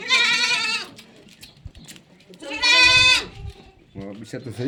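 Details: Sojat goat breed on a farm. Two long, strained, nasal bleats of about a second each, with a third bleat starting at the end and low thumps in between.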